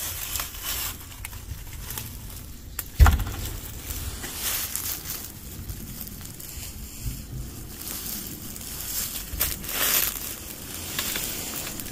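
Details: Outdoor rustling and crinkling with a low background rumble, a sharp knock near three seconds and a brief hiss of noise around ten seconds.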